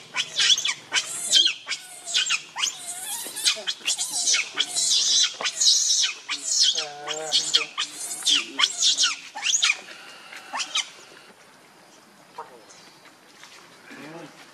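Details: Hungry infant monkey called Leo Rainbow begs its mother for milk with rapid, piercing, quavering shrieks repeated for about ten seconds, then falls to soft occasional whimpers over background hum.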